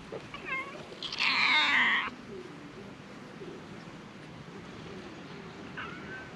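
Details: Stray cats on a Japanese cat island crowding around after one is petted; a loud harmonic meow of about a second, shorter mewing calls before it and one late rising mew, over steady background hiss.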